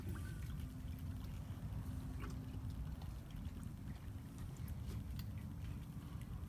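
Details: Low rumbling water or engine noise with a steady hum and faint clicks, no animal voice.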